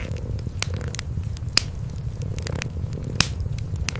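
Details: Cream-coloured kitten and its mother cat purring together while asleep in front of a warm fireplace at night; a steady low rumbling purr runs throughout, with sharp crackles and pops from the burning fire scattered over it.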